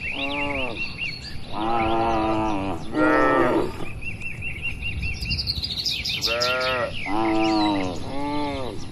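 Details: Tens of tame, calm and healthy cattle in a farm pen give a series of drawn-out, harmonic moos, about five in a row with short gaps between them. Small birds chirp and twitter at a higher pitch over the herd.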